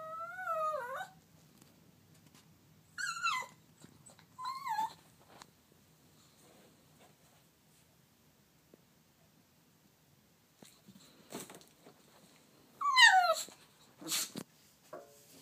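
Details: Desperate for his toy, Turbo the dog lets out a few sharp, wavering whines separated by long quiet gaps, then a final cluster of high squeaky cries near the end.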